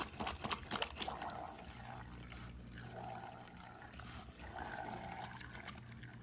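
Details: Otter named Chiro making a cat-like noise: a burst of sharp squeaky clicks at the start, then drawn-out, mewing tones that come back twice, with a steady trickling, watery hum underneath.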